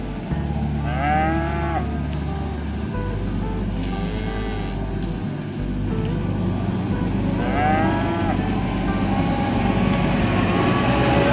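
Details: Cattle roaming village fields are herded toward the barn. They low repeatedly to call their herd-mates home, with three harmonic moos rising then falling, spaced several seconds apart, over a continuous engine-like rumble.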